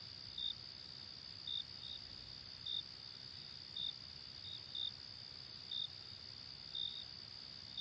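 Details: Late summer night crickets giving a constant high-pitched ringing drone, overlaid by short louder chirps roughly every second, some paired close together.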